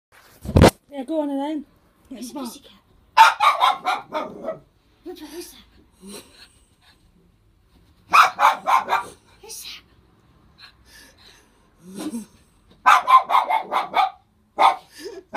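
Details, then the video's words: Ellie the dog barks indoors in three loud clusters of rapid harsh woofs, roughly five seconds apart, with quieter tonal whines or voices in the gaps between them. "Ellie the dog barking"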